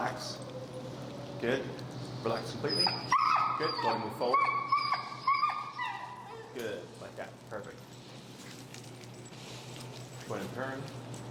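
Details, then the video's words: Finnegan, an extremely vocal feral husky in a Chicago heel training session, protests a behavior he disagrees with under training pressure: wavering high whines and yelping, talk-like vocalizations over a man speaking throughout. "Extremely Vocal Feral Husky, Disagreeing With A Behavior"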